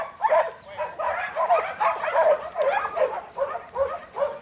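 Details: Buttons, a young male Border Collie in training, sired by Brett out of the female Babie, a futurity prospect for 2012, gives quick yelping barks about every half second, each a short rising-falling burst.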